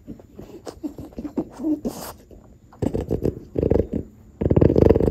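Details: French Bulldog from a family of dogs (grandmother Ume, mother Roku) eating yellowtail fish: irregular bursts of low, harsh snuffling grunts and snorts, sparse at first, then growing denser and louder in the final seconds.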